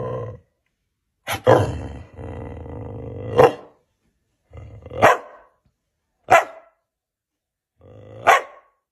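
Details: Siberian Husky barking, offered as a sound effect: separate loud broadband barks roughly every one to two seconds, the first two drawn out into a growly, howling tone, with short silent gaps between.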